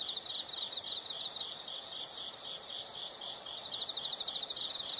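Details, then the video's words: Chirping insects: bright, high pulsed notes in loose groups of four or five, rising and falling in strength, with a loud shrill continuous trill cutting in during the final half second. "the sound of insects"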